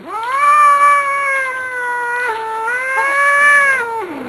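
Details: Jack, a grumpy Manx cat with a lot to say, gives a long, loud, drawn-out yowl lasting about four seconds, steady in pitch with a brief dip midway and a falling end.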